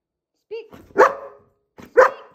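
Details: Female German Shepherd dog barking on the spoken command "speak": after a short vocal sound, two loud, sharp, single barks about one second apart, with a voice giving the command.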